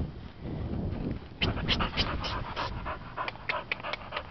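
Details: A female Welsh Springer Spaniel, a stray found on a street and now waiting for adoption, pants in quick, breathy, uneven puffs, several per second, close to the microphone.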